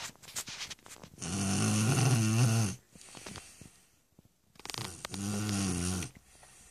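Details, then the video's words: Stefanie, a Shar Pei, snoring indoors: two long, low rumbling snores with a wavering buzzy texture, separated by a quiet pause with soft breathing. "Шарпей Стефани храпит."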